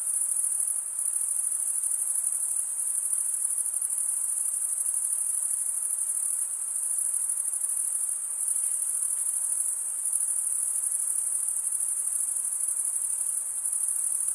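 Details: Continuous cricket stridulation, mostly males chirping: a bright, steady high trill that barely varies, with soft periodic swells and a few short lulls in loudness, no other animals or noises evident.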